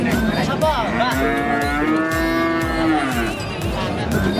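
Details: A long, steady moo from a Limousin feeder bull with imperfect legs swells and holds for about two seconds, then fades. Rhythmic thumps and crowd chatter carry on underneath.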